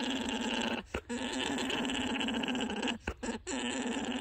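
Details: Male alpaca orgling, the mating song, while courting lined-up females; a deep, rhythmic, continuous gurgling drone with pulsing resonant tones, broken by two short pauses.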